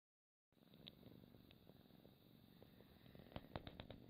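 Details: Domestic pet cat purring at home, recorded close up for relaxation: a steady low rumbling purr with a soft pulsing texture begins after a half-second of silence, with a few faint clicks and taps near the end.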